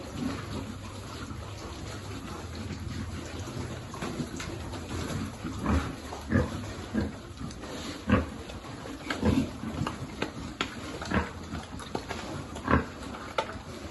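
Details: Farm piglet being fed among a pig group, giving short low grunts and snorts in irregular bursts, louder clusters every second or so, over a steady low background hum.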